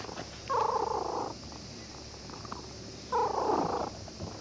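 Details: Cat found asleep at a fishing port purrs with pleasure as a visiting child fishing there strokes it; two loud rasping purr bursts under a second long, separated by about two seconds of quieter breathing.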